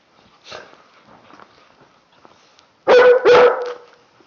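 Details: Tibetan Mastiffs (Do Khyi) having fun during playtime: after soft rustling and a muffled yelp, two loud, rich barks follow in quick succession near the end.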